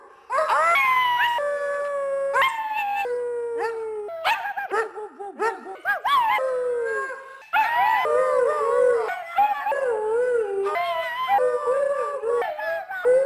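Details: Siberian husky howling: long sustained tones that hold steady or slide up and down in pitch, repeated in successive phrases separated by abrupt cuts, with brief wavering notes between the drawn-out howls.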